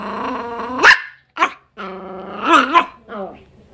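A Miniature Pinscher gives harmonic, whiny barks with a growly edge, rising sharply at the end of each burst.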